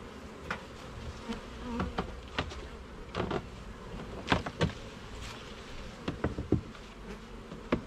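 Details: Honey bees in a garden hive during an inspection of its levels and frames: a steady low buzzing hum, broken by frequent sharp clicks and taps from frames being handled.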